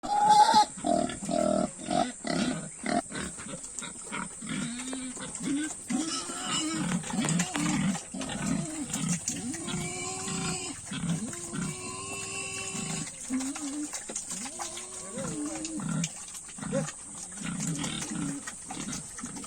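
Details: Pigs on a farm at feeding time give a steady run of short, low, rounded grunts, roughly two per second, over a constant high electrical whine, with brief voices at the start.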